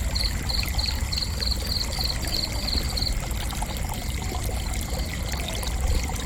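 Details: Relaxing cricket chirps: a quick regular series of high, sharp pulses for about three seconds, then only the steady low rush of what sounds like running water.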